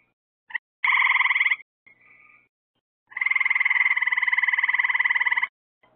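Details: Frogs at night under lights added to attract insects, giving a short pulsed trill, then a faint brief call, then a long rattling trill of over two seconds, fast even pulses throughout.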